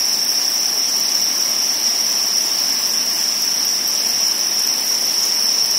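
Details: Crickets kept as pets or food, spawning: a dense, continuous high-pitched trill holds steady and unbroken throughout, with a faint hiss beneath.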